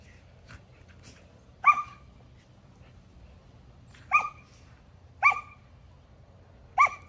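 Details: Two female Samoyed puppies playing together again after the smaller one healed from surgery; four short, sharp yappy barks spaced one to two seconds apart over quiet background.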